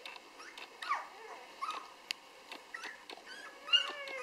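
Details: Litter of six-day-old Rhodesian Ridgeback puppies: thin high squeaks and short whimpering yelps, some sliding down in pitch, scattered over a few seconds, with faint clicks and rustling in a quiet room.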